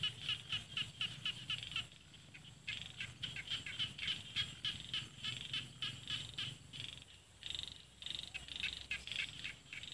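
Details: Small field frogs in rice paddies below hills in Isan, northeastern Thailand, call in a dense chorus of rapid, raspy clicking notes repeated several times a second.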